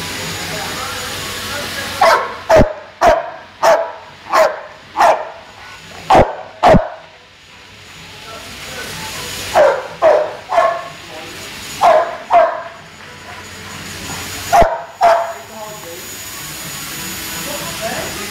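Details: Guvnor, a big, strong American Bulldog placed third twice at ABA shows, barks in loud, sharp bursts: a quick run of about seven barks, a pause, then shorter clusters of two or three barks.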